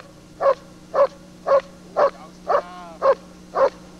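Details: Lord v. Gleisdreieck, a DDR German Shepherd, recorded from a TV screen with a 1995 date: seven regular barks about every half second, with a short thin whine between two of them and a low hum behind.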